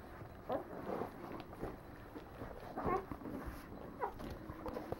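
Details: Litter of Leonberger puppies, nine days old, with a few scattered high squeaks rising out of a low murmur of shuffling and soft grunts, each squeak brief and separated by about a second.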